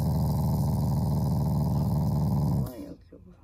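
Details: Loving family Shiba Inu giving a friendly, non-aggressive growl: a continuous deep, throaty rumble with quick regular pulses for about two and a half seconds, fading out into a brief quiet tail.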